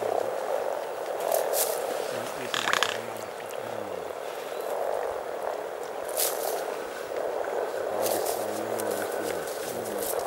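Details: Hundreds of frogs calling in spring at Teisko in Finland's Pirkanmaa region, a constant purring croak chorus somewhat quieter here, with people talking at intervals and a brief rustling sound.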